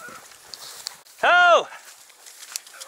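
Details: Dachshunds on a driven fox hunt in Victoria, 23 October 2022: a single loud, harmonic bark that rises and then falls in pitch, about a third of a second long, over quiet rural background with faint rustling.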